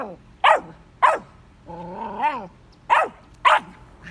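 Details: Young Vizsla dog facing a new red ball near his digging spot gives two quick sharp barks, then a drawn-out wavering whine-howl, followed by two more punchy barks in quick succession.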